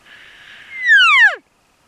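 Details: A 7x7 bull elk on public land gives a contact bugle, calling to cows while approaching hunters: a breathy rising note breaking into a clear, high whistle that slides sharply down.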